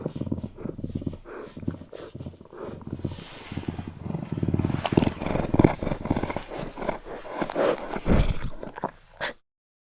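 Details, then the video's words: Eurasian lynx producing a deep, throaty rumbling growl of irregular pulses about two per second, swelling louder toward the middle and end before stopping abruptly. "The sound of a Eurasian lynx"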